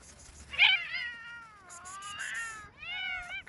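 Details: Street cats, among ten wild-living cats shown standing on hind legs, eating, playing and fighting, give three drawn-out, wavering meows. The first is loud and bends downward, the second is long and quieter, and the third is short and rising-falling.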